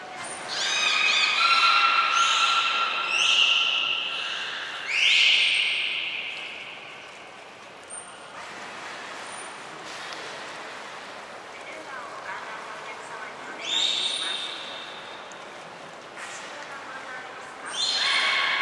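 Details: Belugas Nana, Mirai and Niko training at Nagoya Port Aquarium on 11 January 2021. Loud rising whistles and sweeping squeals come in bursts, separated by quieter stretches with a high thin whistle note and soft background chatter.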